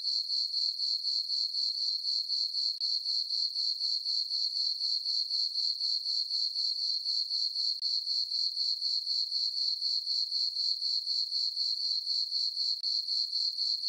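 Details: A meadow on a farm at night under the full moon, crickets giving a continuous high, ringing chirp that beats about four times a second, steady in pitch and loudness throughout.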